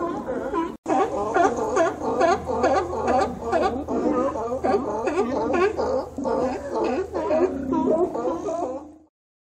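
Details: Sea lions gather each autumn at Cowichan Bay on Vancouver Island after the migrating salmon. Many overlapping croaking, bending calls come rapidly, over two a second, after a brief break near the start, then fade out.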